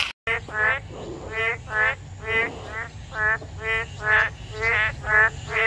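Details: Boreal digging frogs chorusing loudly in a wetland on a breezy June 24, 2022 morning, recorded by phone on a walk: nasal, harmonic croaks repeated about twice per second, overlapping callers, over a low wind rumble.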